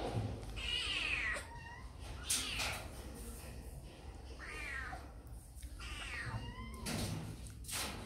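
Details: Kittens eating snacks indoors give high, falling meows, about four separate cries spread over eight seconds, each with a bright harmonic ring, between soft clicks and handling noises.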